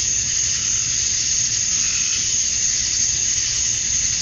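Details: At dusk on a summer night in Georgia, USA, male cicadas chirp to attract females, producing a continuous high, sizzling drone at even loudness with no breaks.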